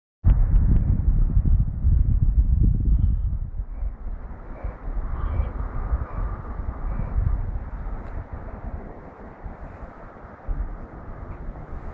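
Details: Heavy low wind rumble buffets the microphone outdoors, with a steady engine-like drone and no animal voice.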